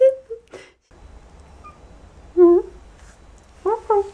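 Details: A Persian kitten gives short, thin, high meows, several in a row; Persian cat (Felis catus) meowing.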